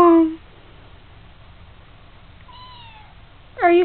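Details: Kitten in a house, awaiting a new home: the tail of a meow opens, then a faint, thin falling call in the middle and a strong harmonic meow starting at the end, with steady low room hum between.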